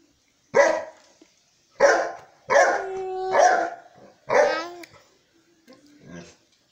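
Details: Deep, resonant barks from Sultan the Saint Bernard, five in a row roughly a second apart, some drawn out with a steady droning tone, then quieter muffled sounds at the end.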